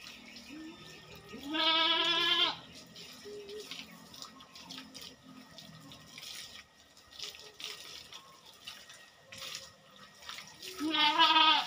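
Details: Goat on a goat farm during the keeper's routine fortnightly work: a loud, wavering, nasal bleat lasting about a second, then a second bleat near the end, with running and splashing water throughout.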